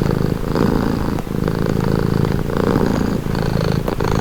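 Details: A pet cat's soothing purr, low and buzzing, rising and falling in rhythmic breaths roughly each second, recorded very near with no other sounds.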